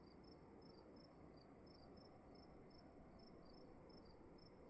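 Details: Crickets in a dark room at night: two high chirping voices, one slightly lower, overlapping and alternating in quick regular pulses above a faint steady hum.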